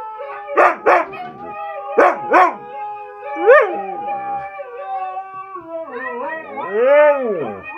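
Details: Siberian Husky vocalising: paired yelping bursts near the start and middle, with steady overlapping tones beneath, then a smooth arched howl that rises and falls toward the end.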